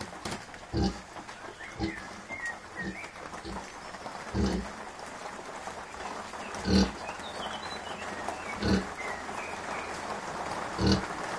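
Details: Kunekune sow with five-day-old piglets she has been feeding well despite being unwell; deep, blunt grunts spaced one to two seconds apart, with faint chirpy whistles in the background early on.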